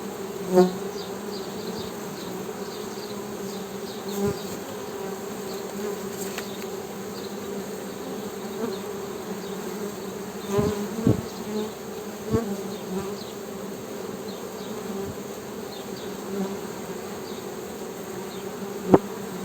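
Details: Steady humming drone of honey bees, a low continuous buzz with a higher overtone, broken by occasional sharp clicks and knocks, with faint bird chirps behind.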